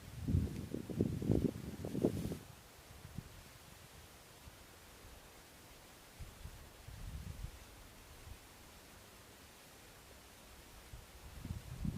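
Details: Rustling and low thumps during the first seconds and near the end, with quiet outdoor stillness between and no clear animal voice.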